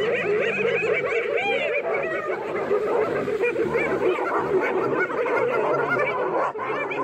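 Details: Spotted hyenas in a pack gang up on a lioness of the Marsh Pride in the Maasai Mara, March 17: dense, overlapping giggles and chattering yelps, with rapid rising and falling wavering notes and no pause throughout.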